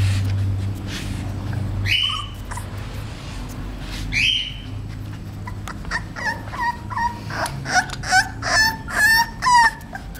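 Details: Thirty-eight-day-old male English Bulldog puppy crying with rising squeaky whines, then a rapid series of short yipping whimpers growing louder over the last seconds, over low hum.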